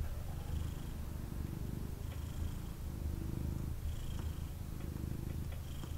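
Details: Cuddled male kitten purring hard while snuggled in its owner's arms: a dense, continuous low rumble in rhythmic waves, under a faint hiss of background noise and occasional light clicks.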